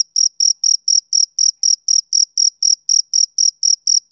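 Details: Rapid shrill chirps of a male cricket, roughly four per second, each a brief bright trill of even loudness, with nothing else audible behind them.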